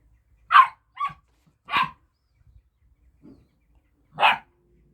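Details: Kangal puppies fighting over a bone: four sharp, high yapping barks spaced roughly a second apart, with a faint low grunt between them and a quiet background.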